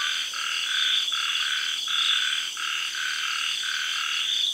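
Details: Frogs in good voice after sunset in a tropical garden in Thailand, following the early arrival of the rains. A few spaced croaks sound about every three-quarters of a second over a loud, steady, high insect and cicada hum.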